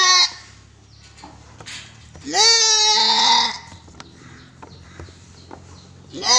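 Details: Goat at a goat farm in Gulbarga, Karnataka, India, giving one loud, wavering bleat that rises sharply at the start and holds for about a second. A second bleat begins at the very end; quiet background otherwise.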